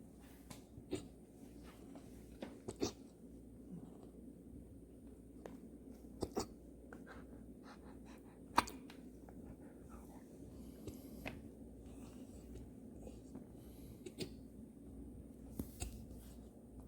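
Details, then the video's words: Golden Retriever named MoRo hiccuping indoors in a quiet small room: sharp, brief, clicking jolts at irregular intervals, about six louder ones across seventeen seconds among softer ticks, over a low steady hum. "GOLDEN RETRIEVER 'MoRo' hiccup"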